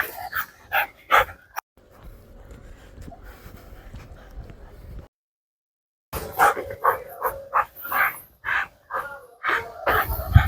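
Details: Dog barking indoors in short, sharp broadband bursts, a few at the start and then a rapid irregular run after a pause. A low steady hum fills the quiet middle stretch.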